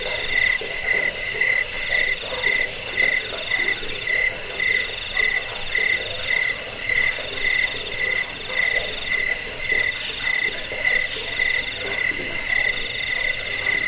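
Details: Crickets heard in a track said to repel rats, help with sleeplessness and serve as song training for birds. Shrill chirps pulse steadily about twice each second, a high and a lower ringing tone together, against constant background hiss.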